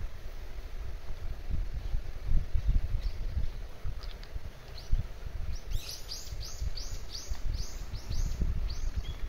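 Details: An endangered Kajika frog in its stream habitat gives a fast run of sweet, arching whistled notes over a low river rumble; Kajika frog.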